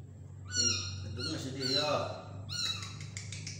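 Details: Tiny kitten mewing while being spoon-fed: thin, high-pitched, slightly wavering cries in two bursts, the second breaking into quick repeated squeaks, over a steady low hum and some nearby human voices.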